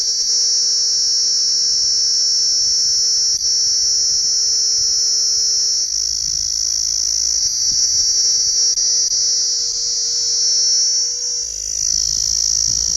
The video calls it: Sound of Cicadas